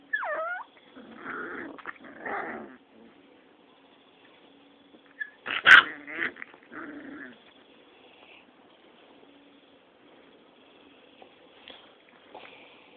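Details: Rottweiler pups, six weeks old, play-fighting: a sharp rising yip opens, then rough, buzzy growling bursts at one to two seconds, a loud clattering knock near the middle, more growls, then long quiet stretches with faint squeaks.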